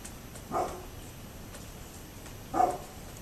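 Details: Neighbour's dog barking on 27 October 2011: two single, fairly loud barks spaced about two seconds apart, each short and harmonic-rich, with constant low background noise between them.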